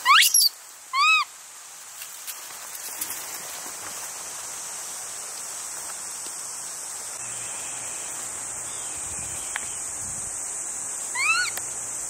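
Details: Baby male Japanese macaque, one year three months old, at Awaji Island Monkey Center; a clingy youngster that often cries. Two short rising whistled cries with harmonics open the recording, and a third comes near the end over a steady hiss.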